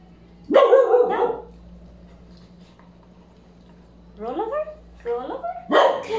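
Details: Three-month-old Labrador Retriever puppy: one loud bark-like yelp early, a quiet pause, then a run of short rising yelps and a final strong bark; low steady hum throughout.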